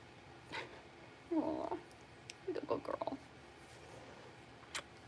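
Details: Litter of five blenheim Cavalier King Charles Spaniel puppies, six weeks old, in an indoor puppy pen; two bursts of short, harmonic whining grumbles, the second broken into quick stuttering pulses, then quiet with soft clicks.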